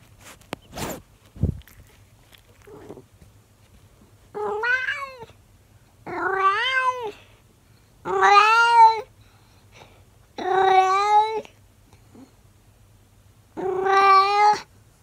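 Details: Monkey, a 24-year-old calico cat, talks to her owner and grows curious about the camera: five long, drawn-out meowing howls, each about a second, harmonic and wavering in pitch, spaced roughly two seconds apart, after a few brief clicks.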